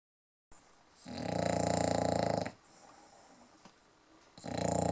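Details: English bulldog snoring: after a moment of silence, a loud rattling snore made of rapid buzzy pulses lasts about a second and a half, followed by a quiet breath and the start of another snore.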